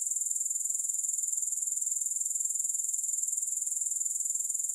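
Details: High, thin grasshopper trill that pulses rapidly and evenly, a constant insect hum running the full length with nothing else audible.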